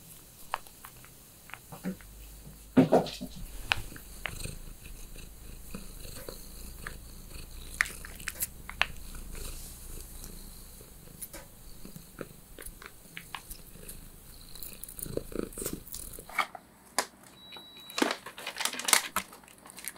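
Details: Female Ragdoll cat purring softly while relaxing at home during grooming and brushing, the low steady purr overlaid by frequent sharp brushing scrapes, chewing and handling clicks, with a brief high electronic tone near the end.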